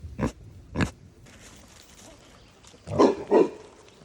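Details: Domestic pig kept at a sanctuary, calling to other pigs and people: two sharp, brief grunts, a quiet pause, then two deeper, fuller grunts close together near the end.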